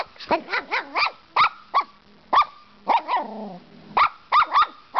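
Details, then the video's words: Six-month-old female Brussels Griffon puppy at play, barking at the camera on her six-month birthday: a run of sharp, high yappy barks in quick bursts with short pauses, some barks trailing into brief whiny tails. "My little Beans barking at camera"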